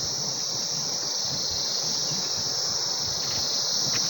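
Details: Annual cicadas in Swat, Pakistan, which come to electric lights at night, give a steady, high, shrill buzz that drones on without a break in the background.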